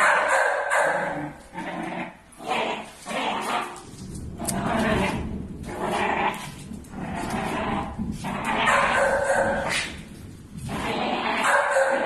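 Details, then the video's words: Six-month-old Pit Bull Terrier puppies, village dogs, angry and fighting: rough, harsh overlapping barks and snarls in dense noisy bursts through the whole recording, with few pauses. "Angry pitbull | Pitbull fight"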